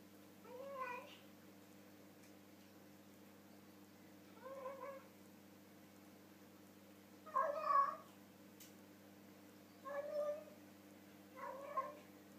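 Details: Pet cat vocalising over its dinner with a full mouth, five muffled, wobbly meows at irregular gaps of two to three seconds, the fourth loudest, inside a small quiet room.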